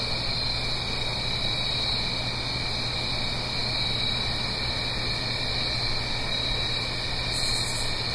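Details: Autumn cricket chorus at night, Blue Ridge Mountains, uphill from a gentle stream, stereo: unbroken shrill trills in steady bands, a short very high pulsed buzz near the end, over a low drone and rushing wash.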